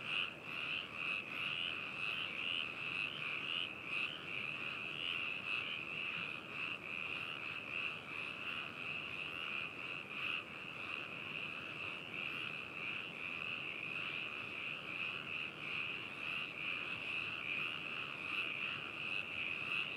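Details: Many frogs calling together at Hakushu, Yamanashi, Japan on 4 May 2018, captured binaurally with a ZOOM H2n; a continuous, dense chorus of high rattling trills with pulsing overlaps and no other sounds.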